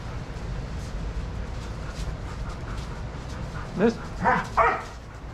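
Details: Adoptable shelter dogs play and run together at a daycare. Three sharp barks come in quick succession near the end, after a stretch of muffled background noise from the play area.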